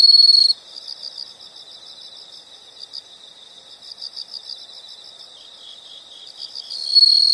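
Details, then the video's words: Insect sounds in nature: mostly soft, steady pulsed chirping at a high pitch, about four pulses per second, with brief louder trills only at the very start and end. "the sound of insects"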